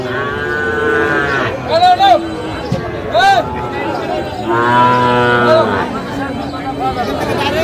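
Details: Moos from Sahiwal bull calves for sale at a cattle market in Kushtia, Bangladesh, 24 April 2025: a few short, bending lows followed by one longer, deeper moo, with voices and crowd noise throughout.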